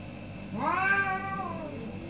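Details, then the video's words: Orange cat, one of two caught in a morning debate, gives a single drawn-out meow lasting over a second, rising in pitch then slowly falling, with rich harmonics, in a quiet room. "2 Orange Cat Morning Debate"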